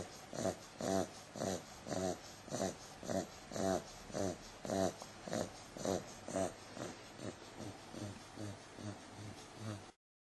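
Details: Eight-week-old Bulldog pup, a female, asleep and snoring: repeated snuffly rasps a little under two per second, fading slightly toward the end before silence.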